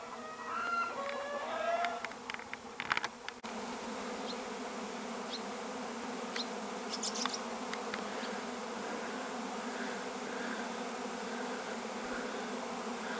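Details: Bees buzzing on 13 July 2015: a constant deep hum with steady overtones fills the whole stretch, while chirping and clicking bursts cluster in the opening seconds and fade out.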